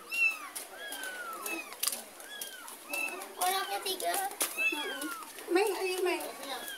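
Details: A mother cat trails her kitten carried home from next door: clustered, arching meows, some high and squeaky, repeat through the clip, mixed with conversation and a few clattering knocks.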